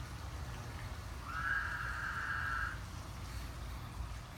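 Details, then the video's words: American bullfrogs screaming, recorded in 2016: one thin, high, drawn-out scream holding steady pitch for about a second and a half over a low rumbling background. "Our bullfrogs screaming"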